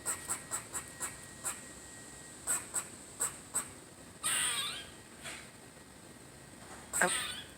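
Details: Squirrelly, a squirrel having fun, mixes quick high chip notes in uneven runs with two drawn-out harsh wheezing calls that bend downward. The strange noises come through clearly over a quiet background.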